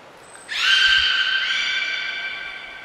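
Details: Beluga Niko during training at Port of Nagoya Public Aquarium, Japan, 25 February 2024: after a brief thin high tone, one sustained, steady harmonic squeal, bright and reedy, slowly fading over two seconds.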